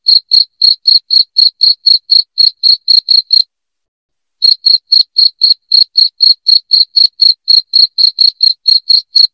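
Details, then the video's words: Cricket, loud, chirping to help chase rats from the house: a fast steady train of bright, high-pitched chirps, roughly four per second, broken by a silent gap of about a second before resuming at the same pace. "SUARA JANGKRIK NYARING"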